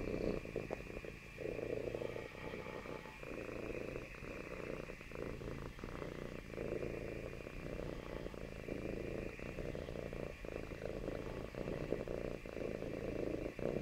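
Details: Pet cat seeking closeness with its owner purrs in a long, even, throbbing rumble that continues without break, recorded at close range in a quiet room.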